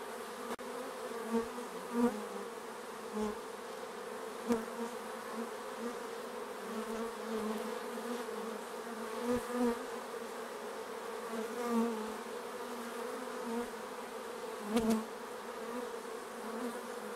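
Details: Many bees buzz around their hive at an apiary, a thick continuous hum with frequent close fly-bys swelling and fading every second or two, plus occasional sharp clicks.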